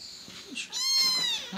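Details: Emergency-rescued sibling kittens, a sister and brother in foster care during toilet training, give a single high, drawn-out meow that swells and then tapers off, with faint room noise around it.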